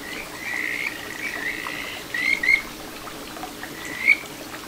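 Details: Kajika frog singing from a small stream in satoyama, Ichihara, Chiba, Japan, 9 June 2022: a long drawn whistled tone followed by a few short, clear rising notes, with a constant trickle of flowing water beneath.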